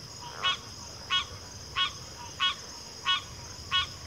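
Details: Evenly spaced, nasal honking croaks from one frog come about every 0.65 seconds against a constant high-pitched insect hum.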